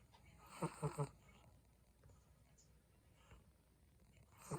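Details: Sleeping Chihuahua snoring: a quick cluster of three low, buzzy harmonic snorts, then a long quiet stretch and one more soft snore at the end. Faint room hiss.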